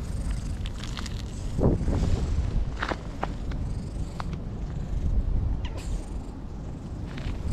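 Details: Old stray cat in a Japanese park, sunbathing and rolling over again and again, purring in a steady low throb with a few soft clicks and rustles over quiet outdoor ambience.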